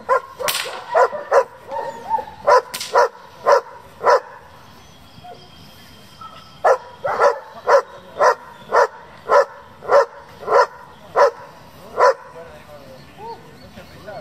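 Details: German Shepherd from a breeding and competition working group, barking in a long series of sharp, loud barks, roughly two per second, with brief pauses between runs; faint voices and background hum underneath.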